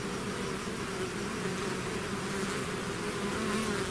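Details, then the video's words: Swarm of bees out of the hive, a steady buzzing drone with a slightly hissier, broader texture and constant level throughout. "bees therapy swarm natural buzzing sound"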